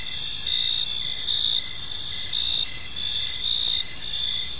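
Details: Evening cricket chorus in a quiet park, layered high trills ringing continuously while rhythmic chirps pulse roughly twice a second on top, with soft low ambient noise beneath.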